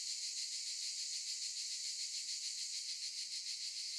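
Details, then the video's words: Chorus of cicadas in olive trees: a dense, high-pitched rasping drone, evenly loud, pulsing rapidly a few times per second, with nothing else clearly audible. "Sound of cicadas"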